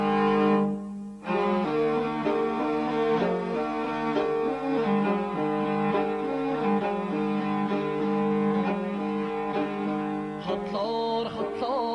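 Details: Continuous bowed string music with deep sustained cello-like notes and plucked accents throughout; no animal sound is heard.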